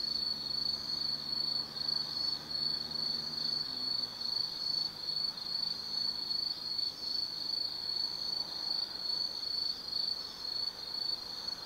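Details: Night chorus of autumn insects at Tsukimi no Mori forest viewpoint, Kaizu, Gifu, Japan: continuous high-pitched ringing trill with gentle pulsing; a low background hum fades out partway through.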